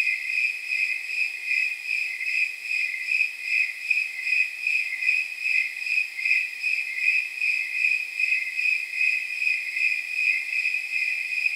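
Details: Snowy tree crickets chirping through a night of about 79 degrees, a jingling high-pitched pulse repeated at a regular beat, slightly softer early and growing more distinct, background otherwise silent.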